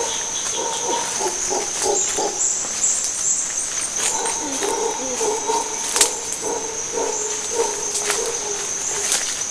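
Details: Howler monkeys from a nearby troop at Gatun Lake in the Panama Canal area, early morning, loud hoarse roars in rapid pulsing series against constant high-pitched insect buzz, with brief human speech.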